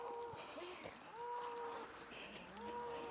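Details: A donkey brays in the distance, drawn-out tonal notes rising and falling in a slow, see-sawing rhythm, on a smoky morning after sunrise along the Camino Primitivo in northern Spain, with wildfire smoke and the birds silent.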